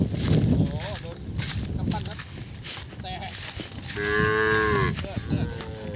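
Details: Calves crying out after losing sight of their mothers, Thailand: a harmonic moo rises around four seconds and lasts about a second and a half, with brief fainter calls and low rumbling field noise earlier.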